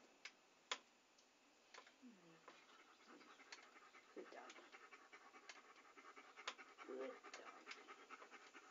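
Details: Dog panting in a relaxing ASMR recording: a rapid, breathy, hissing rhythm broken by sharp clicks, with a few brief low voiced sounds near the second and fourth seconds.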